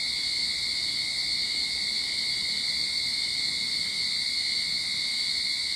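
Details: Cicadas singing in a Sydney backyard at the start of summer, a steady unbroken high buzzing drone with a strong band and a thinner whine beneath, constant in loudness throughout.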